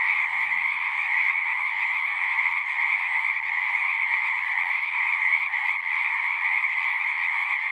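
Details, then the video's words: Frogs at a horse-pasture pond singing as a continuous dense chorus, two bright bands of overlapping trills, with a faint low sound near the start beneath the calling. "Frogs singing"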